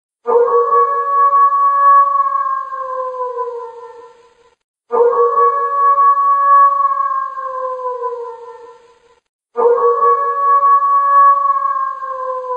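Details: Samoyed dog out in the snow howling: three long, drawn-out howls of about four seconds each, held steady and then sliding lower in pitch, with silent gaps between them and no other sounds.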